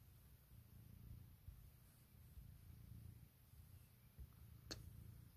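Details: Puk, a female domestic cat, purring indoors in the morning while waking her owner and asking for cuddles; a soft, low rumble rising and falling in slow waves, with one brief click near the end.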